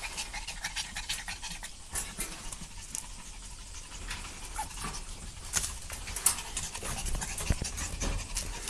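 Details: Puppies romping, soft rhythmic panting with occasional scuffles and a few sharper taps toward the end, low background hum.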